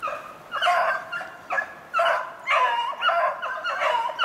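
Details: Beagles running snowshoe hare on 2/25/16, several drawn-out baying notes overlapping in quick succession, each a few tenths of a second long, with brief gaps between bursts.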